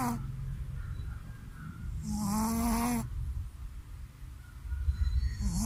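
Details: Sleeping Shih Tzu dog snoring after a bath in a boarding house room: low, rough rumbling breaths repeating quickly, with a brief louder nasal whine-like tone in the middle and a hissy burst above it.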